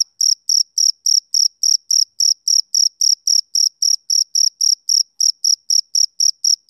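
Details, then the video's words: High, piercing chirps from a male cricket on a summer evening repeat in a tight, even rhythm, close to four a second, alone in a quiet background. "Cricket Chirping Sound Effect"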